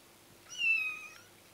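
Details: Kitten giving a single short, high meow with a clear tone, rising slightly and then falling, lasting just over half a second in a quiet indoor room.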